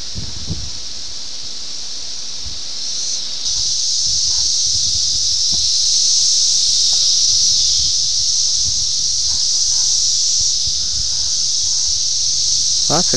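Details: Chorus of 17-year periodical cicadas, Brood X, at Ayersville, Ohio, in June 1987, captured on VHS. A continuous shrill drone swells louder through the middle, with occasional faint clicks and rustles beneath.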